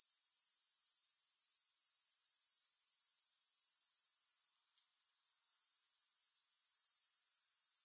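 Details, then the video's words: Grasshoppers heard with no music: a steady, very high-pitched pulsing trill with rapid even chirps, which drops out abruptly for about half a second near the middle before resuming. "Grass Hopper Sounds"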